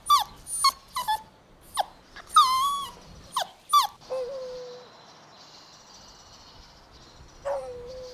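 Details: Golden Retriever puppies playing and running in a meadow: a quick run of high, bending whimpers and squeaky yelps for four seconds, then a quieter hiss with two drawn-out low whines.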